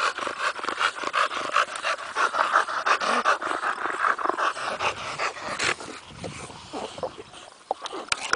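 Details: Bulldogs out in the sun, sliding and playing; fast rasping pants in a steady run that loosens and fades toward the end, with a few softer snuffles and a closing sharp noise.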